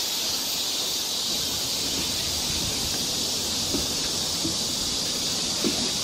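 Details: Cicadas on a forest trail in Seoul, Korea, in summer, fill the air with a steady, high, hissing drone without a break.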